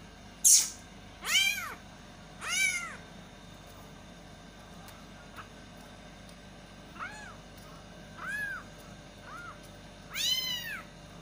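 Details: Baby kittens meowing loudly for their mother cat. Around seven arching, harmonic-rich cries come at irregular intervals, some loud and strained and others softer, over faint steady background hum.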